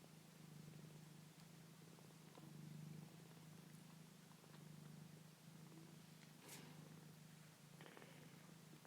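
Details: Foster kittens purring softly indoors: a low steady rumbling purr in pulses, quiet and continuous, with faint handling noises and clicks.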